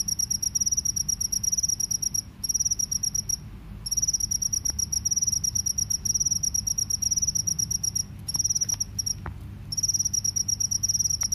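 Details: Cricket, one of the field or forest crickets being compared, with the collared cricket also mentioned: a loud, high, continuous pulsing trill broken by brief pauses near the second and eighth seconds.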